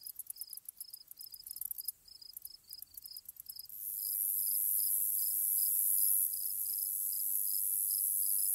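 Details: Grasshoppers chirp in ambience: fast stuttering pulses of high buzz fill the first four seconds. A sustained shrill whine then takes over, with short lower chirps repeating steadily, about two to three per second, across the whole stretch.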